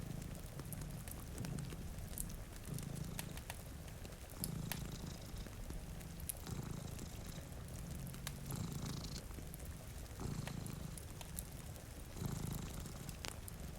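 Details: Pair of pet cats asleep before a rainy window, purring. Strong low purr pulses in regular breathing cycles, about every 1.5 to 2 seconds, with fire crackles snapping and gentle rain in the background.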